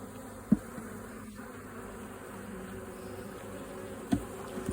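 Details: Bees swarming from a kept colony as two queens split it, with a new box being prepared for them; a steady low droning hum runs throughout, broken by two sharp knocks.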